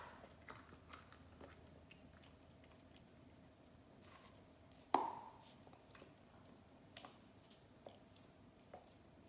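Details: An Australian Shepherd crunches and gnaws on leftover Thanksgiving turkey bones, with scattered sharp bites and one loud crack midway, in a quiet room.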